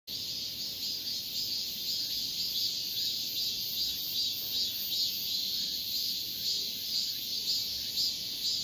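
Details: Male cicada calling to a female: a loud, shrill high-pitched buzz that holds steady throughout, with faint pulsing swells about twice a second.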